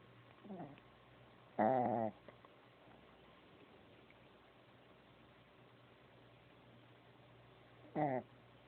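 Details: Shih Tzu puppy snoring in its sleep: a faint short snore, then a louder buzzy, harmonic snore, a long stretch of near silence, and one more rasping snore about six seconds later.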